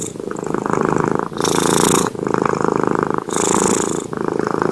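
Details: Sleeping cat named Junior snores close to the microphone, a throaty rattling buzz on the in-breath alternating with breathy hissing exhales, about two full breath cycles.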